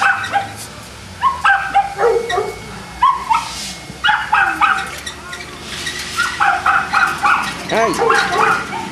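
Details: At Perrera Jamundí in Cali, Colombia, Boston Terrier dogs bark in a busy, near-continuous series of sharp yaps, several per second at times. Voices can be heard alongside the barking.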